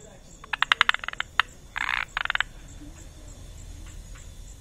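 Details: A male Malabar gliding frog calls on a rainy night in a Goa forest in India's Western Ghats: a run of sharp, wooden clicks, then two buzzy, rattling bursts, with softer clicks trailing off over a quiet hiss.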